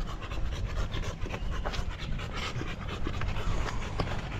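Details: Rapid, rough, breathy panting from Buding the Golden Retriever, short puffs repeating several times a second against a low rumbling background.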